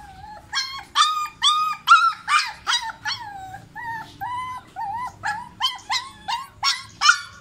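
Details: Young puppy giving repeated high-pitched whimpers and yelps, each short and bending upward then falling, coming roughly twice a second with brief gaps between them.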